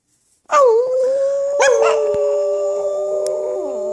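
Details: Pet Chihuahua howling while singing together with its owner: a sustained tonal howl that starts with a quick rising-and-falling wobble, then holds a steady pitch, with a second, lower steady tone alongside it for several seconds.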